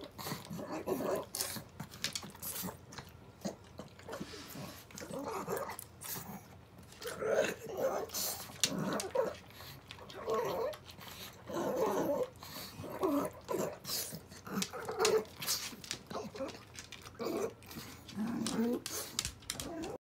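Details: Elderly blind and deaf female pug, sixteen years old, eating stewed offal at home: steady smacking, chomping and snuffling breaths in clustered bursts every second or two, with faint voices in a small room.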